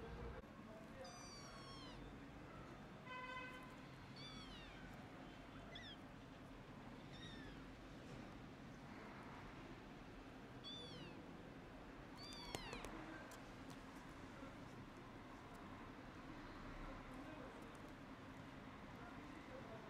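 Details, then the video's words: Hungry orphaned kittens, sick and left without their mother, calling for food: a run of high, bent, harmonic-rich meows in quick succession, then scattered single meows at irregular intervals over a steady low background hum. "Poor Orphan Kittens Meows And Hugs Their New Mom 🐈(hungry kitten wants food)"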